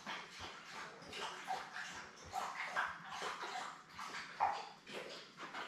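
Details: Labrador Retriever puppies, a litter of seven born May 24, 2021, with their mother Belle, indoors on June 3. A dense, overlapping chorus of high squeaky whimpers and yips, several every second, over a steady soft hiss.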